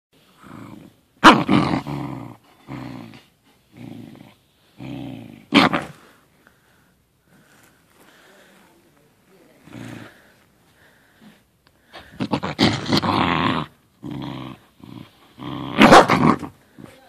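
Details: Hermes, a Corgi, plays in his small corner with a little tennis ball, giving low rumbling growls in bursts with short gaps and a few sharper loud outbursts, quieter stretches between.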